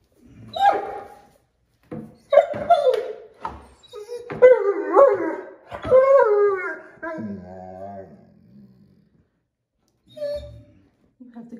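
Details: Five-month-old female mantle Great Dane puppy, kept as a pet, 'talking' to two cats while learning to play gently with them. Warbling, whiny, howl-like bursts rise and fall in several runs, with a woman's voice nearby.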